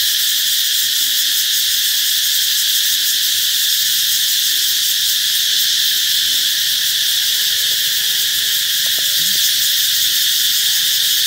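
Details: Loud cicada chorus announcing that summer is near, an unbroken shrill hiss-like buzz holding constant without pauses, with faint low tonal sounds underneath.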